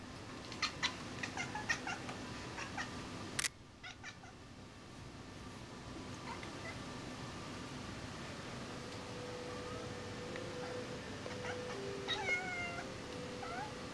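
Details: Kitten named Sql, a pet indoors, hunting a fly. Short clicky chattering bursts come in quick runs over the first two seconds, followed by a sharp crack and steady room hum. Brief rising chirps come near the end.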